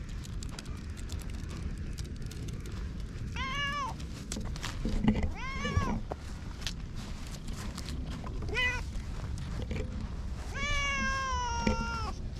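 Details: Two stray cats, a ginger tabby and a cream-coloured cat, resting together on a bench: several drawn-out meows rising then falling, spaced a few seconds apart, the last longest, over steady low outdoor rumble.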